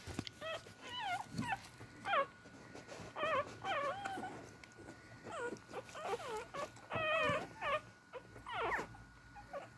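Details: Beagle puppies crawling toward their mother to feed, many pups whining at once: high, wavering, bending whimpers that rise and fall in quick overlapping bursts, with a faint steady hum beneath.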